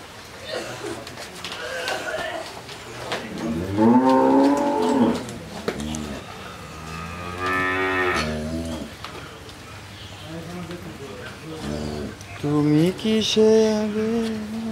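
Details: Lowing from a Jersey cow with her bull calf, on her second calving, in Bangladesh; several long, resonant moos rising and falling in pitch, separated by short pauses, with background chatter and farmyard noise.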